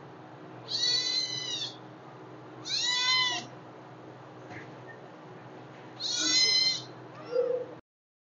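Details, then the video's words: Hungry kittens calling with three clear, high-pitched meows about two and a half seconds apart, then a shorter, softer squeak at the end, over steady faint background hum. "Super Cute kittens Hungry 🥺 Meow's video"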